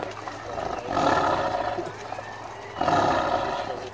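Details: A tiger described as hungry at feeding time gives two harsh, rasping roars about two seconds apart, with a steady low hum in the background.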